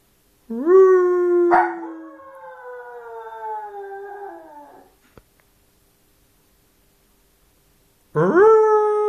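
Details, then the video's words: Small Maltese puppy left alone, crying in a drawn-out, gradually falling whine lasting several seconds, broken by a short noisy burst, followed by silence before a fresh rising whimper begins. "Crying and sneezing puppy!"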